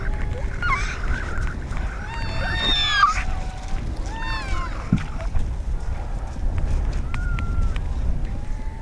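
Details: A newborn harp seal pup alone on an Arctic ice floe in late winter gives wailing, nasal cries that arch and fall, calling for its mother, over steady low wind rumble.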